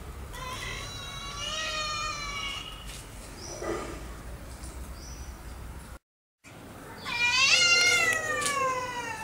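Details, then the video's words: Pet cats trying to scare and drive off a new, abandoned puppy that wants to make friends: a long, drawn-out, wavering yowl with rich harmonics, then a short pause and a louder, rising, strained howl. "Cats do not like the new puppy and trying to scare him"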